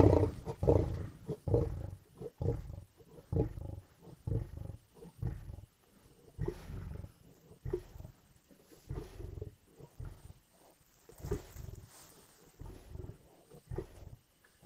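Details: Several lions feeding at a kill in Indian bush: throaty growls and snarls pulse in rough, irregular bursts, loud at first, then alternating with quieter rumbling stretches.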